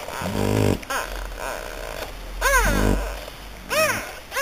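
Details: French Bulldog puppies in Hungary giving short, arching whiny yelps with bright harmonics, two clear ones spaced about a second apart, after an opening low grunting rumble; a steady low hum runs underneath.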